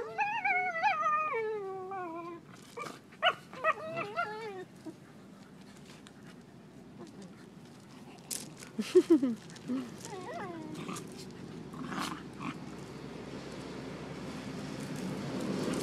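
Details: Beagle mother with her four-month-old puppies playing on a beach in Costa Rica: a long wavering, falling whine-howl opens, then scattered short yelps and squeaks, with people talking and a rising rush of surf and wind.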